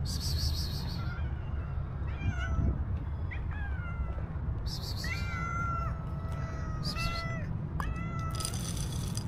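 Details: Black stray cat living on the street, meowing constantly for food: a run of drawn-out, harmonically rich meows, some held level and others bending downward, with short bursts of high hiss over a steady low traffic rumble.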